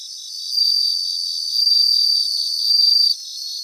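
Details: High, bell-like trills from bell crickets in a Japanese grassland. Clear ringing bursts swell about once a second over a steady background chorus of other insects.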